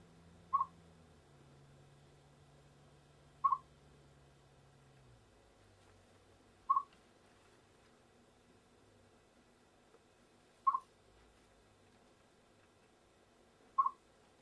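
A chipmunk gives single sharp, mid-pitched chips, spaced about three seconds apart.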